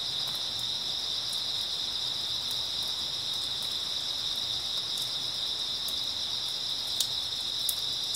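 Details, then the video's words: Unbroken high, ringing trill of grass insects filling an early autumn night, steady and even in loudness, with a few faint clicks and otherwise quiet surroundings. "초가을 밤부터 새벽까지 백색소음 풀벌레 소리"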